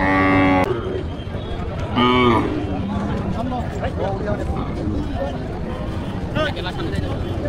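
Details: Cattle at Satkhira's largest Qurbani cattle market in Parulia, Bangladesh, the week before Eid al-Adha 2025: a loud, short moo opens, a second moo follows at two seconds, then a steady hum of market crowd and voices.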